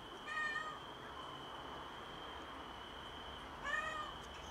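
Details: Stray mother cat on a balcony just after an early birth of a premature kitten, meowing strangely; two clear rising-falling harmonic meows about three seconds apart, over a constant high-pitched insect hum.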